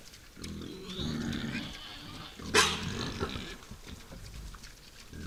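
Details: Wild boars at night at a forest feeding site give deep, rumbling growl-like grunts, with one sharp, harsh burst in the middle and snuffling between.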